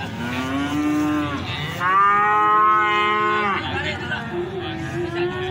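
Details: Cattle for fattening at the Plaosan cattle market, Magetan, Indonesia, lowing repeatedly. A loud, even moo of nearly two seconds stands out among shorter, softer moos rising and falling around it over market background noise.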